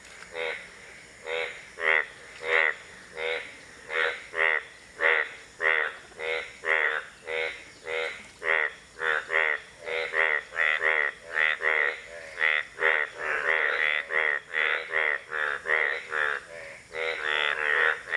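Indian bullfrog giving loud, nasal croaks in a steady run, about two each second.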